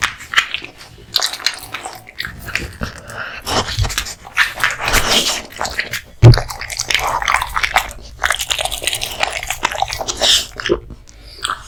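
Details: Raw meat and bone feast for Kotetsu, a male American Bully born August 2016: heavy crunching and gnawing with deep thumps, one loud crack near the middle, chewing ongoing throughout.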